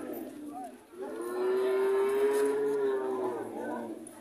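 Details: A relaxed heifer at an Indonesian animal market gives one sustained, even, tonal moo lasting about two seconds, with faint voices and a low murmur behind it.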